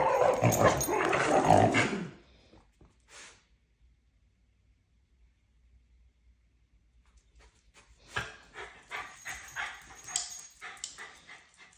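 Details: Miniature schnauzer Roxy, a puppy, vocalizing over a gremlin toy that both want; a loud two-second burst of harmonic, strained sounds opens, then near quiet, then a quick run of short repeated sounds fills the final four seconds.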